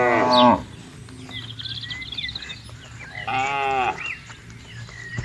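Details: Tame cattle among dozens roaming freely and grazing on green rural pasture; two drawn-out harmonic moos, one at the start and another after three seconds, with bird chirps and a low rumble behind.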